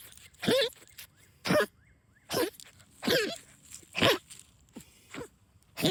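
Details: Pet dog Rosie, excited while hunting moles in backyard trenches, lets out a run of seven throaty, coughing honks, spaced about three-quarters of a second apart, each a brief nasal burst.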